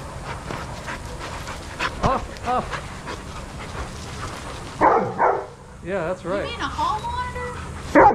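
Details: Adoptable shelter dogs playing together at a daycare, with short arched yips and barks in scattered bursts, most dense in the second half, over a steady background hum and murmuring voices.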